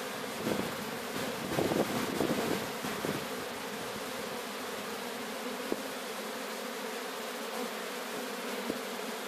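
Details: Swarm of Sicilian honey bees being captured at Sciacca, Sicily: a steady, dense buzzing hum with a low drone band, several louder bursts in the first three seconds, and faint wind.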